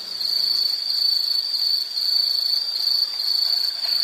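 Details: Insect calling nonstop: one piercing, even, high trill with a gentle wavering in strength and nothing else audible.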